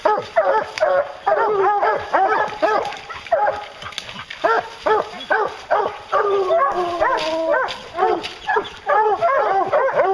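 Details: Pack of hounds baying during a bear hunt, rapid overlapping barks and bawls repeated over two per second, a long steady bawl near the middle standing out from the chorus.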